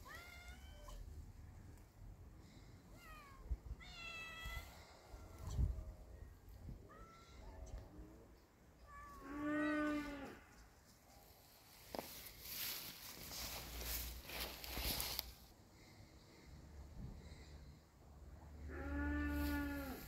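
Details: A kitten facing a cat: scattered high, short meows early on, then a long, low, drawn-out cat moan near the middle and another at the end, with rustling, bumps and background noise between.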